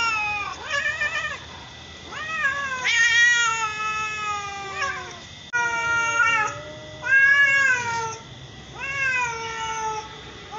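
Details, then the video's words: Two domestic cats, mother and daughter with matching coats, trade repeated meows, some short and wobbly, others long and arching, following closely one after another with overlaps. "Cat sound.voice . mother & daughter cat same color"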